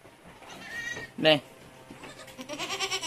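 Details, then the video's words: Anglo-Nubian goat during kidding at Terra Grande Farms, San Carlos City, Negros Occidental, Philippines, where seven kids were born in one day. A short, loud, sharp bleat comes about a second in, then softer wavering bleats at the end, with voices throughout. "Aktwal na panganganak ng kambing | 7 heads baby goats ang ipinanganak sa isang araw"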